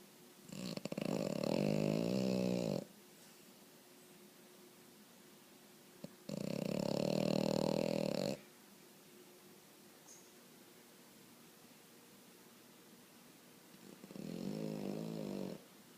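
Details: French Bulldog asleep indoors, snoring in three loud, rattling, buzzy breaths of about two seconds each, spaced several seconds apart with quiet pauses between.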